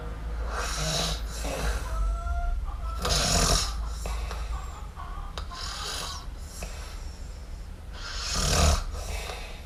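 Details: A sleeping kitten called Miumiu snores in a series of breathy, rasping pulls, some short and some long. Faint whistly tones appear early and a low hum runs throughout.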